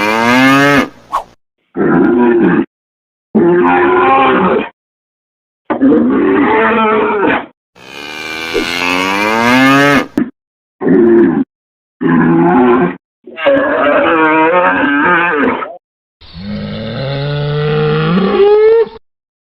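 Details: Cattle mooing in a quick series of about nine separate calls, each a harmonic-rich bellow lasting one to two seconds with abrupt cuts and silences between. One call wavers in pitch, and the last rises at its end.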